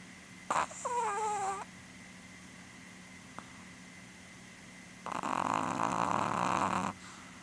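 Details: Female Chihuahua Porun, almost 12, asleep and snoring: a nasal, whistling snore with a wavering tone lasting about a second, then after a pause a harsh, raspy snore nearly two seconds long.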